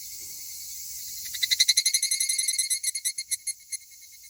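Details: A pair of male higurashi cicadas, perhaps in a fight. After a quiet start comes a burst of fast, ringing, metallic pulses that gradually slow and fade over about three seconds.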